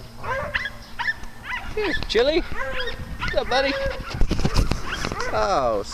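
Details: Playful dogs on a farm give rapid, ringing barks and yelps that bend down in pitch, coming in quick bunches and growing busier toward the end, with a person talking nearby.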